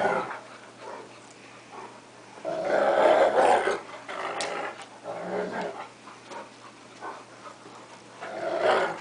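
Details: Play-fighting between two pet dogs, a cocker spaniel and a 3/4 wolf 1/4 Akita, sounding fierce but friendly; a long, loud rolling growl builds in the middle, then choppier snarls and a final growling burst.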